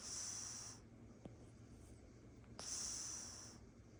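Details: A tabby Oriental Shorthair cat snoring in a lap gives two airy, hissing breaths about three seconds apart.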